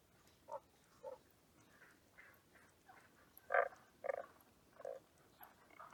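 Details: Tago's brown frog kept at an aquarium, calling with brief soft croaking pulses spaced about half a second to a second apart, some doubled, over faint background hiss.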